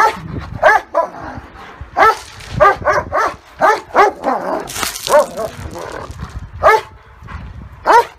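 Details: A German Shepherd and a Great Dane in a dog fight: harsh, repeated barks in uneven runs, one noisy snarling burst midway, then two isolated barks at the close.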